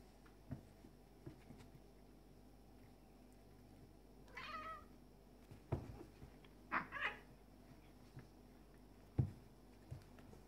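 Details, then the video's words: Tom, a black and white male cat, facing a neighbour's male cat in a fight over territory; short harsh yowls and meows come in separate bursts among thumps and knocks, with quiet gaps between. "Cat Fight Compilation Video"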